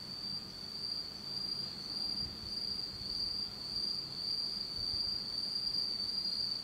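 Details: Autumn insects calling at night in Japan in complete darkness, a sustained high-pitched ringing trill with slight pulsing, over soft low background hum.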